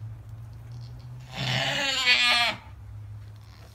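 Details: Alpine goat during the birth of triplet kids, one loud drawn-out bleat of about a second with a wavering, harmonic-rich tone, over a steady low hum.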